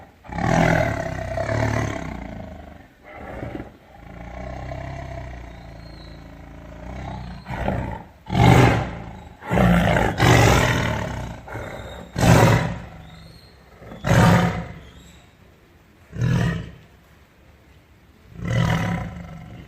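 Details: Tiger uttering a long growling roar, then a series of short deep coughing roars roughly every two seconds, fading toward the close.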